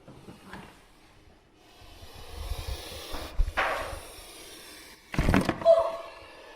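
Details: A captive puff adder in a venomous snake collection at a Liverpool venom unit, with a microphone held near it on a pole, gives two sharp, breathy bursts of hissing puff, the second louder and longer, amid cage-handling knocks; the snake then bit the microphone.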